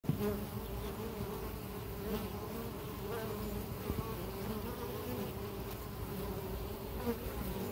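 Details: Bees flying into and out of their hive on an ordinary day, a steady low droning hum from many insects with the pitch wavering as individuals pass close, continuous throughout with no other clear sounds.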